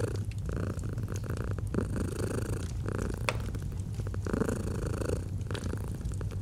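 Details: Steady low rumbling purr of a domestic cat beside a fireplace, rising and easing with each breath, with sharp crackles and snaps from burning wood scattered over it.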